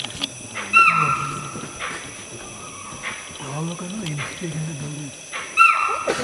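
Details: Deer at Kabini give two brief, high, piercing alarm calls about five seconds apart, raised on hearing a leopard and a tiger fighting in the background; low human voices murmur between the calls.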